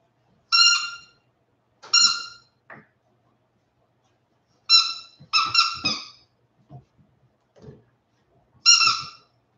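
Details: Forty-seven-day-old Westie puppies yelping repeatedly after an outdoor break: bright, high, harmonic cries, some single and one tight cluster of three, with quiet rustles and soft knocks between them.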